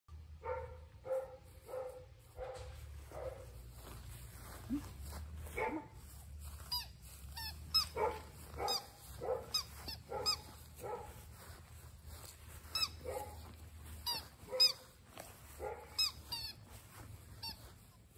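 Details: A male English Labrador Retriever puppy gives a string of short, sharp barks, some clustered and some spaced a second or more apart, over a constant low rumble with faint high ticking sounds scattered throughout.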